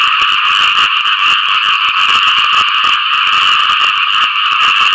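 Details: Frogs advertising for mates following rain, producing an intense, continuous mass of rapid rasping croaks that blend into a thick, even, buzzing chorus throughout.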